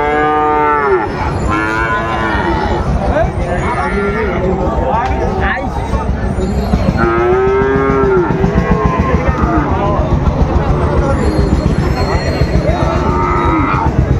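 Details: Sahiwal bull calves for sale at the Ambari market in Dinajpur, Bangladesh, 14 March 2025: several drawn-out harmonic moos spread across the clip, some overlapping, over busy market chatter and bargaining.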